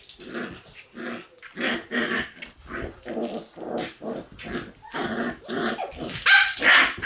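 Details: Shiba Inu puppies, one female born 11 March and a male born 25 March, playing together and giving rough growling grumbles and short yappy barks in a quick irregular run, with laughter afterward.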